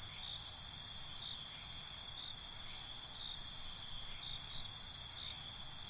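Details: Crickets chirping at night in a sustained high-pitched ring, with fast pulsed chirps repeating in bursts of about a second, over faint low background rumble.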